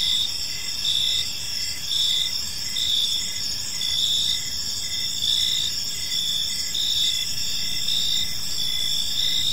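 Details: Chirping crickets fill a park in the evening, a bright high-pitched chorus beating in regular bursts about once a second, some low background noise.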